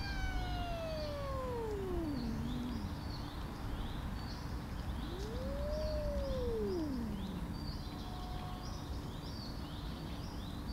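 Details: Angry tortoiseshell cat yowling to drive others away from the food bowl: a long wail sliding downward, a pause, then a second yowl rising and falling, with steady chirping of small birds behind.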